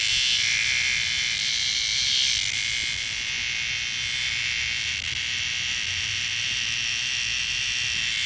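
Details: Loud droning of one cicada up close, a continuous shrill hiss with faint rapid pulsing throughout, holding nearly constant volume for the whole stretch.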